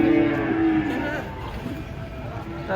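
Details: Cow that jumped down from a truck during unloading and fell, lying on the ground: a low, steady moo holds for about a second, then fades under men talking and a vehicle humming nearby.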